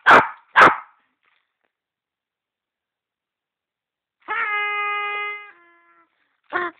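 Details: Bruno the dog lets out two sharp barks, then falls silent for several seconds. A long, steady, tonal whine-bark follows, and one final short bark ends the sequence.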